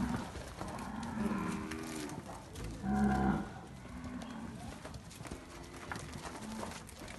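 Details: Nelore calves from Fazenda Barão in Amaralina, Goiás, of Quarie Col progeny, giving several harmonic moos, a strong louder one near three seconds, followed by softer shorter lows.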